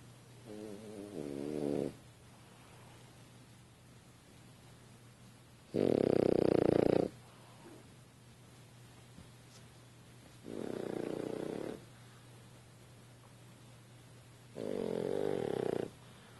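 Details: French Bulldog asleep on a couch, snoring in a steady series of four raspy, pulsed snores roughly four seconds apart, with quiet breathing between them indoors.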